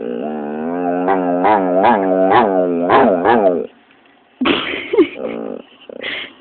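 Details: Scolded pit bull 'talks' with a run of wavering, rising-and-falling yowls for about three and a half seconds, then a pause and several higher, squeaky whining bursts.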